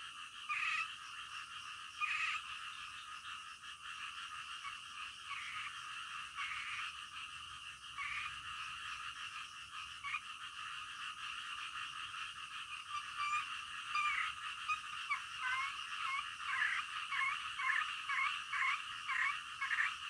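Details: Night-time frog chorus: uneven rasping croaks rise and fall over a constant high buzz, becoming louder and more pulsed toward the end, roughly forty bursts a minute.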